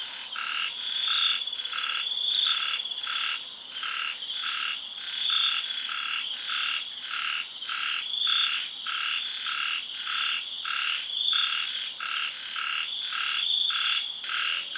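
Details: Frogs in a tropical garden in Thailand call after sunset in the rainy season. Regular pulsing croaks repeat steadily, almost two per second at times, against a constant ringing insect and cicada drone.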